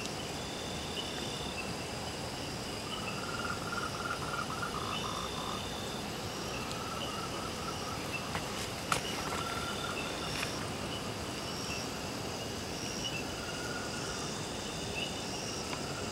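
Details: Moltrecht's tree frog, a species endemic to Taiwan, calls at night on 12 June 2009 in Renshou Village, Zhuqi Township, Chiayi County. Its calls are short, rapid trains of pulses repeated at intervals, set against steady high insect trills and constant hiss.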